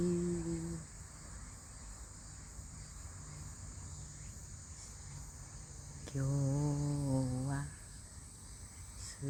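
Autumn insects keep up a thin, high, unbroken trill, with a person speaking briefly over it.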